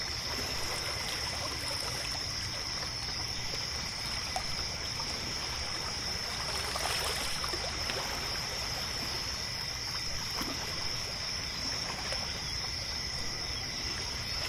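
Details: Crickets form a steady, high-pitched trilling chorus at night by a lake, over the soft rush of water, in a soundscape built from layered ambient sounds.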